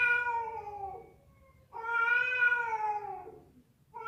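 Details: Female cat calling a male during a cat fight: two loud, long moaning yowls, the second swelling then tapering with a slightly rising-then-falling pitch, separated by a short silence.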